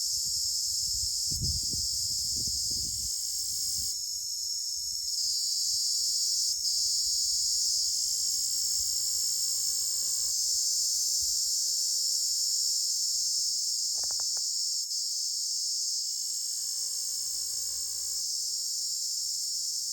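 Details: Cricket, known locally as ratkida or jhingur, giving a constant shrill high trill throughout, with a brief low rumble near the start and intermittent faint lower tones in the background.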